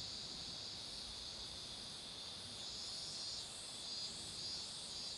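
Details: Beside a road lined with blooming marigolds, cicadas sing a steady, high-pitched droning buzz that holds without a break.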